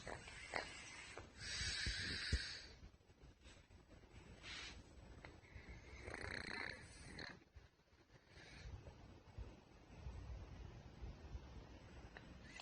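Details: Putchi, a pet pug diagnosed with a thymic tumour, snoring while asleep: raspy, noisy snore bursts of one to two seconds recur irregularly, with soft breathing and near silence between them.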